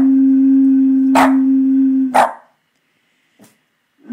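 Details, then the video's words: Murphy, a Boston Terrier reacting to the noise of a bottle, gives two sharp barks over a steady low humming tone that lasts about two seconds; a faint third yip follows after a pause. "Boston Terrier Murphy can't stand the noise"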